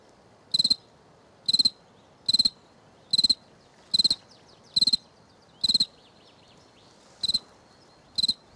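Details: Cricket filmed on the right bank, chirping steadily: ten bright, high-pitched chirps of about four rapid pulses each, spaced roughly a second apart, with a longer pause near the end.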